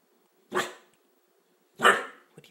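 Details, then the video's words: A pet dog indoors at home, left with one person and freaked out by a printer printing from a laptop in the kitchen, gives two short sharp barks about a second apart, with a tiny click afterwards. "Barking at the Printer"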